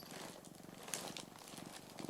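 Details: Orange tabby pet cat named Mac lying on its owner's belly indoors, purring steadily in low, rapid pulsing rattles throughout, with light rustling of fur and a few soft clicks near the camera.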